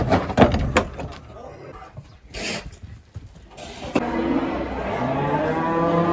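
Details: Simmental heifer bought at a livestock market and being loaded onto a truck to take home; a clattering knock and brief noises open, then a low, drawn-out moo with a steady harmonic tone from about four seconds onward.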